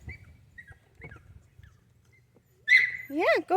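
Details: Five-week-old Golden Retriever puppies from one litter: faint chirps and shuffling, then a sharp squeal and two loud arched yelps at the end, while a person talks nearby.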